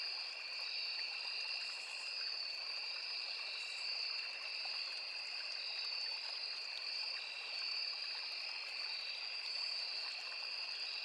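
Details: Forest crickets near a small river keep up a continuous shrill, even-toned drone in two high layers, never pausing, while the stream gurgles softly underneath.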